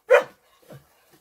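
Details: A female dog in the hay gives one short, sharp bark, followed by a faint softer sound.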